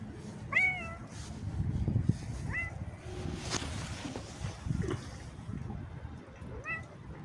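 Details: Cat accompanying a person on a little walk, uttering three or four brief, bent meows spaced a couple of seconds apart amid footsteps, rustling and low outdoor rumble.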